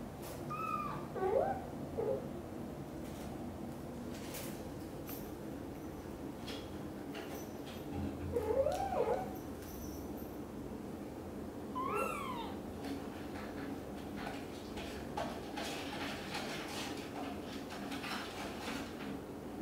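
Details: Indoors, British Shorthair kitten Cream ventures from the nest for the first time, shadowed by anxious mother cat Xaxa; three bursts of high, curling meows, some doubled, separated by pauses, with soft rustling and a constant low hum.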